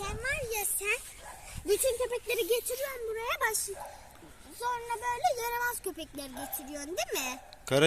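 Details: Cocker Spaniels on a night walk, the puppy Kara kız with Cocker Simba, give repeated high, wavering whines and whimpers, each a drawn-out tone rising and falling, with human voices talking in between.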